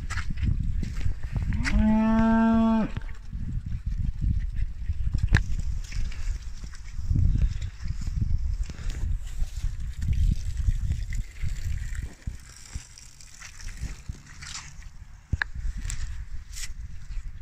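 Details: Fleckvieh in-calf heifers, one of a group of fifteen, in calf to AI Fleckvieh and Friesian bulls: a single loud moo lasting about a second, among low rumbling background noise and scattered knocks.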